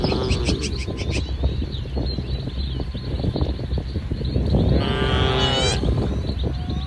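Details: A herd of tame cattle wandering and grazing in a muddy field among rice paddies in soft morning sun; steady low rumbling background, then one drawn-out, harmonic moo near the end.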